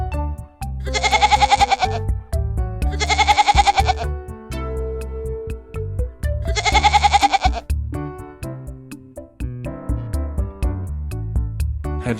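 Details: A young goat (Capra hircus) bleats three times, high and quavering, over soft background music.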